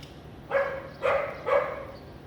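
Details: House dog barking in Vientiane, Laos, on a sunny April afternoon in 2021: three rough barks about half a second apart, with a quiet background.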